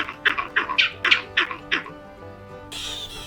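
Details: A vervet monkey in Africa gives a burst of harsh, rapid alarm chirps, an alarm call given on seeing a predator.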